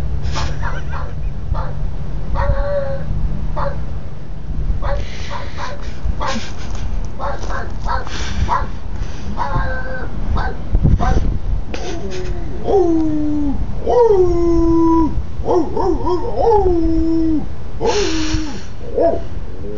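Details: Dogs in a compilation of funny moments, giving a mix of short barks and drawn-out whimpering whines that bend downward, several in quick succession near the end, over steady low rumbling background noise.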